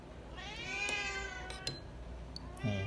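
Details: Srintil, a cat begging noisily for food: one long, strained meow that swells and slowly falls over about two seconds, rich in harmonics, with a few metallic clinks and a short human sound at the end.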